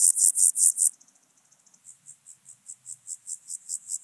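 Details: Song of the Alpine grasshopper from Obir, Austria, 30 July 2022: a few loud buzzy syllables, a brief stretch of faint fast ticking, then a fresh sequence of high hissing syllables building in volume.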